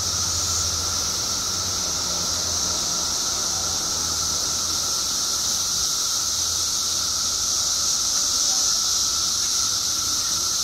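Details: Illinois emergence of periodical cicadas after 17 years underground, billions calling at once: a steady shrill hissing drone over a constant lower whine, with a faint low rumble in the background.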